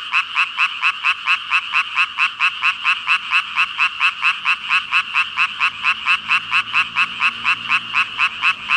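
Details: Dense frog chorus from about 5,000 calling frogs, a steady pulsing ribbit-ribbit with bright, rasping notes throbbing roughly twice per second for nearly nine seconds, no other sounds standing out.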